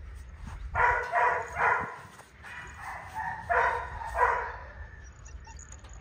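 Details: Male goldendoodle puppy yipping in a series of short, harsh, rapid bursts, a few grouped together, then fading into quiet room noise.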